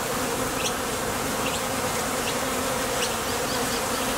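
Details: Foraging honey bees leaving and landing at a Top Bar Hive entrance give a thick, continuous buzzing drone. A few brief high flicks stand out over the steady hum.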